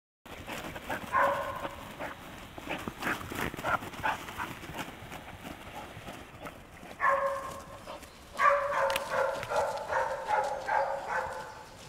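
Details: English springer spaniel vocalizing: a brief tonal yelp near the middle, then a run of rapid, nasal whining yelps over the last few seconds, with scuffling noise throughout.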